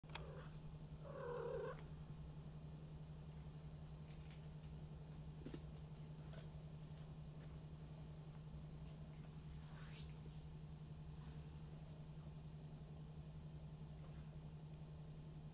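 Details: One-month-old Maine Coon kitten from a Tokyo cattery, purring as a steady low continuous hum throughout, with a couple of brief higher soft sounds near the start and faint scattered clicks in a quiet indoor room.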